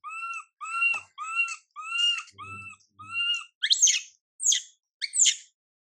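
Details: MILA, a young monkey whose mother MILIKA pays her no attention, cries out in a run of arched, whistled wails about twice a second, then shifts to higher, harsher screams; a soft low thump sounds in the middle.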